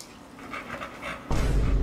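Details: Pit bull dog panting at home: a short run of soft, breathy, rhythmic puffs, then a sudden loud low thump or rumble covering the last half-second.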